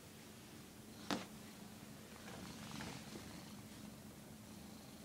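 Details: House cat that dislikes cameras purrs indoors with a soft, even low hum, interrupted by one sharp click near the start and a faint rustle midway.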